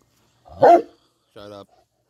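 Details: Dog among a litter of puppies running with their mother and father: a single loud, sharp bark, followed shortly by a brief tonal, harmonic sound; otherwise quiet.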